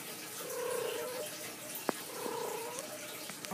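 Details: Rosie the domestic cat, indoors on a bed, gives two drawn-out, level meows about a second apart, each steady and tonal with clear overtones. A brief sharp click falls between them over a soft room hiss.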